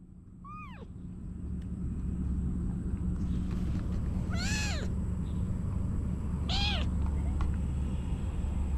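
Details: Female kitten meowing, apparently wanting to climb on top of her owner: three clear arched meows, a short high one then two longer ones about two seconds apart, over a steady low rumbling hum.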